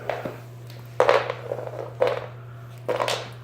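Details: Sharp crunching bursts roughly once a second, each a broad rattle with short tails, over a steady low electrical hum in a small indoor room; no animal voice.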